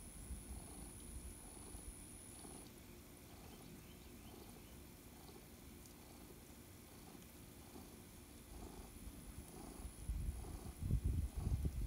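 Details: Purring from Lulu, a female tuxedo indoor cat, during a petting session with her favourite person. A soft, low, fast-throbbing rumble runs steadily throughout, joined near the end by louder rubbing and rustling.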